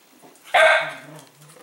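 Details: Cavalier King Charles Spaniel indoors at dinner time by its bowl, giving one sharp bark followed by a short low whine while waiting for food to be poured on the floor.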